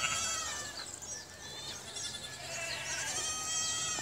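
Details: Goats at a farm giving several overlapping, wavering bleats with bright harmonic stacks spread across four seconds, over a steady background hiss.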